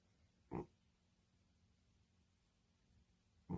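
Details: Sleeping pet cat snoring so heavily it could pass for a middle-aged man; two short, rough, grunting snores about three seconds apart over a faint steady hum.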